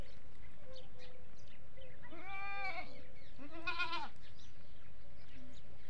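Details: A goat on a goat farm gives two wavering, nasal bleats, each about a second long, over a low background hum; the farm's goats call from early morning to evening, mostly for feeding, and one starts the others.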